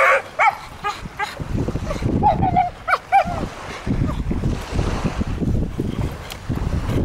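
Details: Blue Staffordshire Bull Terrier named Gamico, 15 months old, playing on a beach: short, high, harmonic yips and barks come in quick bursts, some with a bent pitch, over steady low wind rumble and scattered thumps.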